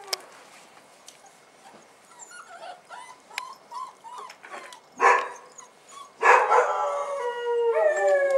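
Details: Bull Terrier puppies on their first outing, 18 January 2015, make faint soft whimpers that build into two loud yelps and a long falling whine at the end.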